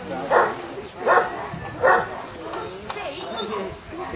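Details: On a section D water test at Lake Bala, Wales, the Newfoundland Harry Potter barks three times, evenly spaced under a second apart, before the sound fades into wind and rough water.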